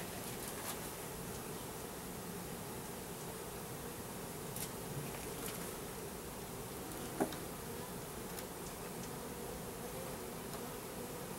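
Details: Package of roughly 10,000 Russian/Carniolan hybrid honey bees with one queen, mite and disease resistant, being installed into a new hive in April 2012. A dense, steady low hum of massed wingbeats runs throughout, with a few faint ticks and taps.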